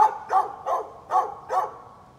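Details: A neighbour's dog recorded on 13 November 2020 barks five times in quick succession over about two seconds. Each bark is sharp and mid-pitched, with a short gap between them and a quiet background.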